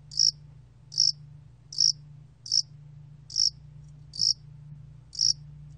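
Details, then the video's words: Steady high chirps of a Yasan-allak cricket from a 2020 National Institute of Biological Resources recording, about seventy a minute, evenly loud, with a soft low hum behind them. "야산알락귀뚜라미, 여러번 듣기, 곤충소리"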